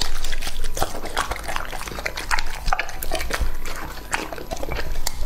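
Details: Two-and-a-half-year-old male English-type Labrador Retriever eating raw meat, with wet chewing and smacking in irregular bursts throughout, close and loud, low thumps underneath.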